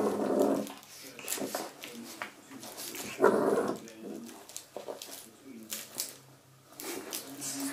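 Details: Shih Tzu puppy indoors attacking a door stop; short raspy growls and yaps in bursts, with a person speaking over it.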